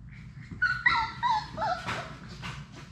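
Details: Labrador Retriever puppies, a litter of six, at play indoors: a quick run of high, wavering whimpers and squeaky yips sliding up and down in pitch, then a short scuffle and fainter squeaks over a soft hum.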